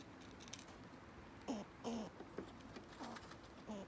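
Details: Smoky the squirrel intimidating other squirrels: a run of short squeaky tonal notes with faint harmonics, about five in under three seconds, spaced irregularly over a soft background hiss with light tapping.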